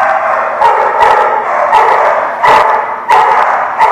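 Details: Dog at a place called The Barking Lot, recorded 27 October 2017, barks loudly and repeatedly, about one bark every half second, harsh and noisy bursts over a continuous din.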